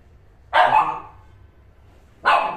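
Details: Shih Tzu barking while asking to play, two short sharp barks about 1.7 seconds apart, each a broad burst with a bright upper edge.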